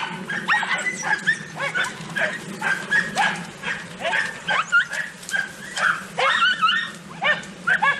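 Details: Podenco Andaluz pack during a rabbit hunt, more dogs joining the chase: overlapping sharp yelps and barks in irregular clusters, some rising and falling, over a faint low background drone.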